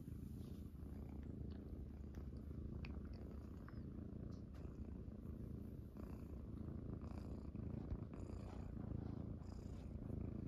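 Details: Munchkin kittens, Pocha and Chabo joined by Kuro, lie on their owner's stomach after waking. They give an even, low, throbbing purr throughout, with faint light ticks above it.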